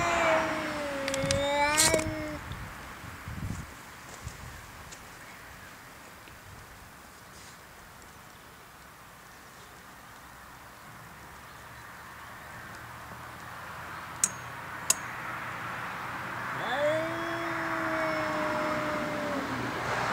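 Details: Pet cat making weird, funny noises: a short chirpy cry at the start and a long level meow near the end, with a long quiet stretch of background hiss between.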